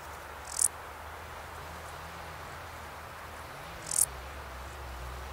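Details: A male Stal's Saddle Bush-cricket (Lluciapomaresius stalii) gives its calling song of short, sharp, high-pitched rasping chirps a few seconds apart; Sierra de Gredos, 17 July 2019.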